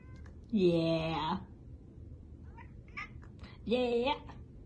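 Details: A grey Korat kitten gives two short, bright meows about three seconds apart, each sliding up slightly in pitch. A few faint chirpy sounds come between them over a low, quiet background.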